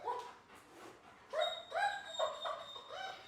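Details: Dog whining, described as a dog never taught how to relax: a string of about six short high-pitched nasal whines, each rising then dropping, coming roughly twice a second after a softer opening whimper.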